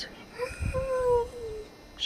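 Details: Kuvasz named Jag howling during a singing session with the owner in April 2011, a soft, not forceful howl: a single smooth tone that rises slightly, holds and slowly falls over about a second, with low background rumble.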